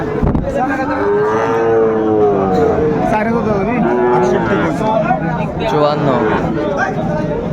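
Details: Sahiwal bull calves, six to eight months old, for sale at Ambari cattle market on 31 January 2025, where a Chattogram farmer buys. A long harmonic bellow rises and falls, then shorter lowing calls follow amid market chatter and crowd noise.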